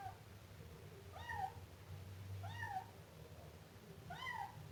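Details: Three evenly spaced kitten meows from a Siamese, each a bright, arched mew rising and dropping in pitch, roughly one and a half seconds apart, against a low background hum.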